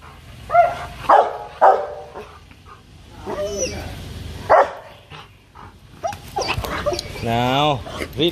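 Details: A Rottweiler in an aggressive fit gives demanding, threatening barks: loud harsh barks near half a second, one and a half seconds and four and a half seconds, with human speech and a wavering tonal sound near the end.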